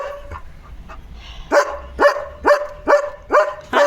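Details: Pet German Shepherd alerting its owner to another dog outside: a quiet start with faint sounds, then six loud, sharp barks in a steady series roughly every half second.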